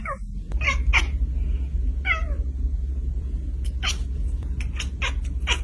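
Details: Kittens giving a few quick, high, downward-sliding mews early on, followed by scattered clicks and rustling over a steady low hum indoors.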